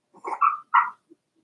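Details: Cavalier King Charles Spaniel puppy, four weeks old, in Daisy's litter pen indoors: two quick whiny yelps, the first wavering and drawn out, the second short and bright, followed by a faint squeak.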